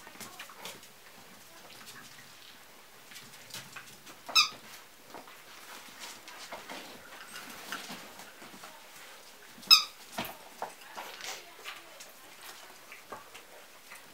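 Basenji puppies give two sharp, high squeals amid a steady patter of scratching and scuffling.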